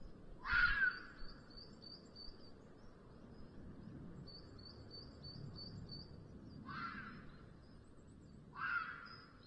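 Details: Rutting-season 'chilla' of a red fox near a black vulture nest in Sierra de Guadarrama National Park at the end of the afternoon: three hoarse, strained screams, the last two closer together, amid steady high bird twitters and soft wind noise.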